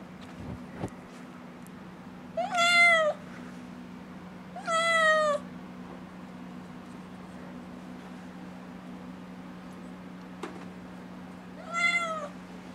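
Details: Nala, a six-month-old kitten eager to go outside, gives three long pleading meows spread over several seconds, with quiet gaps between them, a couple of soft clicks and a constant low electrical hum beneath.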